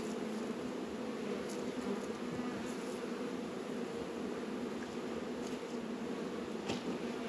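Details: Honey bees working at the hive in an apiary in northern Kentucky on a 72-degree February day; a steady dense hum of many bees with a few brief sharper buzzes of single bees passing close.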